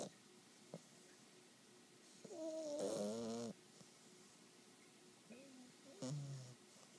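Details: English Bulldog puppy, aged 12 weeks, snoring in its sleep: a long, wavering, gurgling snore near mid-clip, framed by fainter whistling breaths and a short grunting snort near the end. The room is otherwise quiet.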